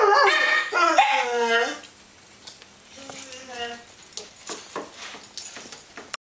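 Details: Several dogs howling while home alone indoors: loud, harmonic, wavering howls that slide downward in pitch fill the first two seconds, then a softer, shorter howl rises and falls, followed by faint clicks and rustling in a small room.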